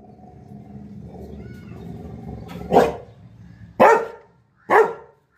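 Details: Three abrupt, forceful barks about a second apart from Lily the Labrador Retriever after her apple falls, following a few seconds of quiet low grumbling.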